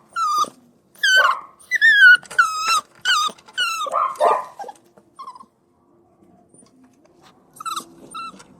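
Puppies cry and whine in high, wavering squeals, several in quick succession.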